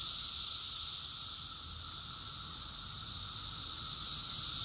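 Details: Cicadas singing together in June 2021 in Rockville, Maryland, USA: a continuous shrill, hissing drone with a fainter lower hum, softening a little in the middle before building back up.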